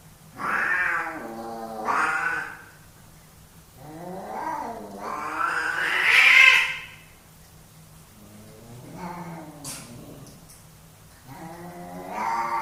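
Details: Male pet cats squaring off for dominance: loud, harsh yowls that climb in pitch and intensity, separated by quieter pauses and a few sharp clicks.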